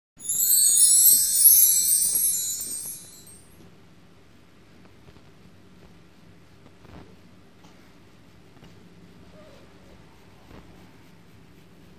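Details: A bright tinkling chime rings for about three seconds, then fades into the low steady hum of a quiet indoor room with faint clicks.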